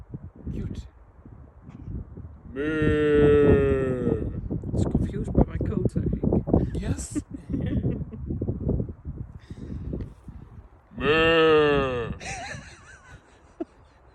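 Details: Two long, wavering, low moos from a cow, about eight seconds apart, each rising then falling slightly, with steady chatter and handling noises from people in between.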